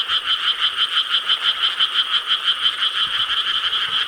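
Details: Frog chorus from Korean rice paddies, recorded at night on 4 July 2013 in summer; overlapping croaks form a steady, throbbing wall of sound, with loudness pulsing roughly three times per second.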